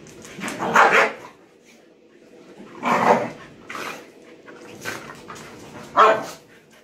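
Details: Playtime between puppy Shiva and older dogs Tessa and Jack, who won't tolerate pushiness; loud, harsh barks come in three main bursts about three seconds apart, with a smaller yap between them and quiet panting in the gaps.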